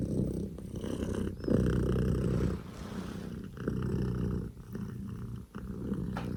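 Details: Scottish Fold kitten, a male born in October 2019, purring loudly like a revving engine; a steady low rumble with rhythmic pulses, briefly interrupted by soft knocks and pauses.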